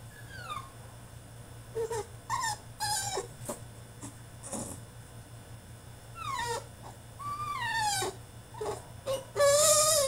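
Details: French Bulldog throwing a tantrum in his cage: high, sliding whines and yelps that fall in pitch, coming in short bursts with brief pauses, harsher squeals near the end, and a steady low hum behind them.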